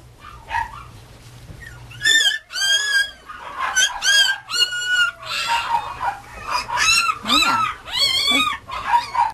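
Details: Young Mame Shiba Inu pup raised by a breeder, crying in loud, near-continuous high whimpers and yelps, each note bending up then down, repeated about every half second with brief pauses.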